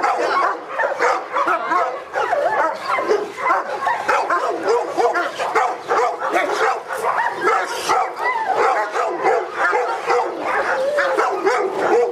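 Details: Protection work test of the Presa Canario Felipe de Ironbull, King Zulu kennel, AVD e.V.; twelve seconds of relentless rapid barking, bursts pulsing in quick rhythm with slight swells in loudness and faint voices underneath.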